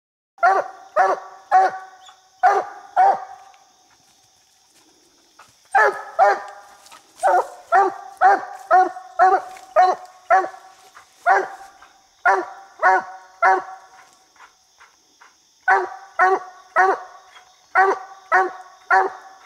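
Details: Coonhound named Bandit barking at a raccoon it has treed in a small tree while coon hunting; loud chopped barks in quick bursts of four to eight, with a pause near five seconds and a steady faint high tone behind.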